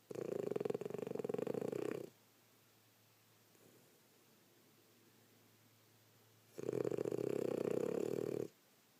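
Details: French Bulldog, female, snoring after a rough day of play: two loud buzzy rasping snores, each about two seconds long, separated by roughly four seconds of quiet breathing in a small indoor room.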